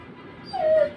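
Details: A beagle at the Galiff Street pet market gives a brief, clear howl that slides slightly downward in pitch.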